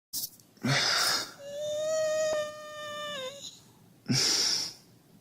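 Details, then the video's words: Husky whining to wake its owner: a sustained tonal whine held near steady pitch for about two seconds, dropping at the end, framed by two loud breathy bursts of noise, likely huffs or rustling. "Хаски в роли будильника"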